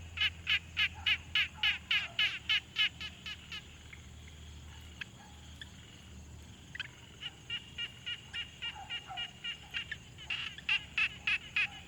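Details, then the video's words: Pond frogs calling in a quiet field recording made on a Tascam Portacapture X6: loud bursts of crisp, pulsed clicking notes repeated roughly three times a second, a calm gap of several seconds, then the series returns over faint low rumble. "Frog Sounds| #001 |Quiet Pond Nature Ambience"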